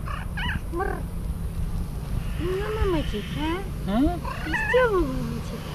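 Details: Affectionate young grey male cat, not hungry, meowing only for love and attention: short chirping mews, then several longer arched meows rising and falling, over a steady low hum.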